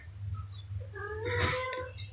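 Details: Domestic cat giving one drawn-out, level, tonal meow that swells and fades over about a second, heard over a steady low hum.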